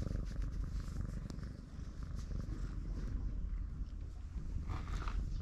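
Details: A brown-tabby-and-white stray cat purrs loudly and steadily while its throat is tickled, a deep rapid rumble pulsing with each breath, with a faint rustle near the end.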